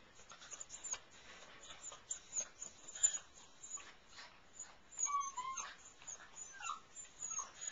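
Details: Airedale Terrier puppies from Cece and Tucker's litter in a whelping box at night, indoors where they sleep. Short rising and falling whines come in a cluster past the midpoint, over soft rustling and scratching from the litter.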